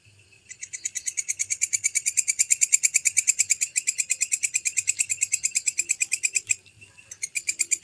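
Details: Walang kecek bush cricket (belalang kecek), a clean recording: a rapid, regular train of sharp, bright ticking chirps, about three per second. It runs for some six seconds, breaks off briefly, then starts again. No other sounds.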